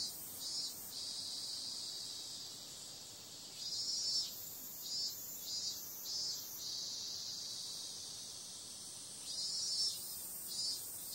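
A cicada's shrill, continuous buzz fills the air, sitting high and thin with no lower tones. Several times the drone swells into quick rhythmic pulses before settling back into its even hiss.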